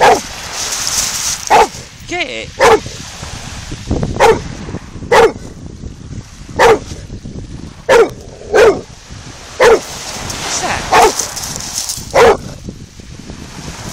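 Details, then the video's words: Bullmastiff barking at the sea, recorded on an Android phone: deep, abrupt single barks repeated about every second, roughly twelve in all, over a steady rushing surf hiss, with a person's voice urging it on near the start. "Bullmastiff barking at the sea"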